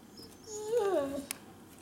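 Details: Vocal Siberian Huskies Rai, a chocolate-and-white male suffering a muzzle allergy, and Nagi, a red-and-white female. A single drawn-out whining call, sliding up then sagging down in pitch over about a second, followed by a faint click.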